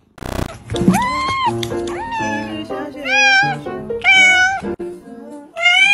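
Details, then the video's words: Cute cat producing a quick series of short, upward-bending meows, loud and close, with low musical tones playing underneath and a sharp thump at the start. "Meow ! Cute cat meows"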